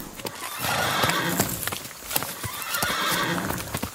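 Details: An Icelandic horse neighs in a soft, wavering voice over a steady patter of hoofbeats.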